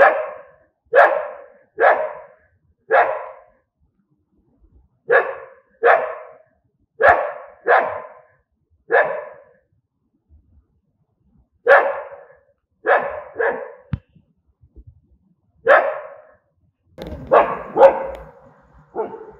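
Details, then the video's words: Steady angry barking from dogs, about twenty sharp, rasping barks at roughly one per second with a few short pauses, ending in a denser, rougher overlapping flurry. "Angry Dogs barking sound"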